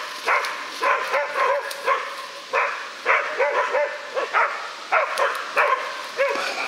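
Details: Young West Siberian Laika bitches baying at a large male wild boar they found and held for half an hour while hunting in Udmurtia, Russia; bright, ringing barks in quick pairs and clusters, steady and insistent, forest quiet behind.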